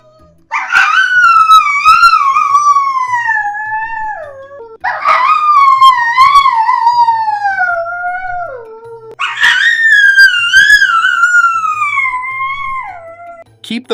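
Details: Dog crying: three long mournful howl-like cries, each about four seconds, wavering and slowly falling in pitch before trailing off, with short pauses between them.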